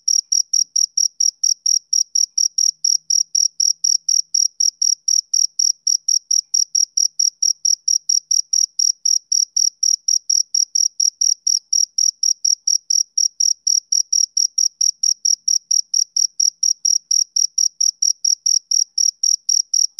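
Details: Male cricket chirping, an iconic sound of summer evenings: a steady, high-pitched train of short pulses, roughly four per second with an even rhythm, and a faint higher overtone over a silent background.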